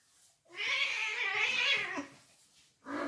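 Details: Cats fighting: a drawn-out, strained wail of about one and a half seconds that bends and fades, then a second yowl starting at the end.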